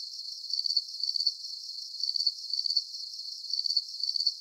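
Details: Calming cricket sounds for sleep: bright, high-pitched pulsed chirps arrive in quick bursts with short pauses between them, keeping a regular rhythm against a soft continuous hiss.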